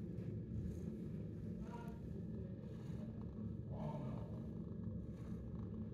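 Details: Continuous low throbbing purr of a 10-month-old shelter cat who loves attention, with two short faint rising tones breaking in briefly near the second and fourth seconds.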